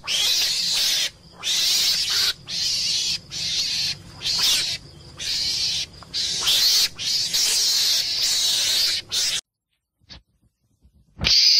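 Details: Meerkat, a small mongoose of southern Africa, giving a run of rough, hissing screams of varying length, then near silence before one final burst.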